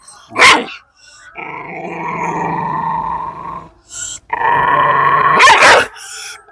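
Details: Long, steady, droning growl from a pet dog during handling, held for several seconds, broken by a short gap and a sharp yelp-like burst. A man's voice is also heard.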